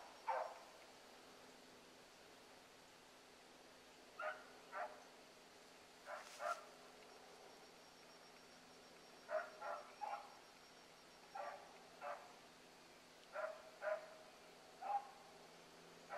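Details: Hound pups, among them Ringo, Mingo and Choco, running a rabbit one morning; distant baying comes in short paired bursts, then a quicker string of yelps near the end, over a steady low hum.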